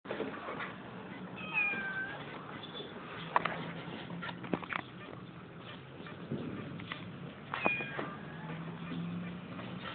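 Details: Domestic cats, a mother and her son, with two brief high harmonic meows near the start and again about six seconds later, over steady low background noise and a few soft knocks.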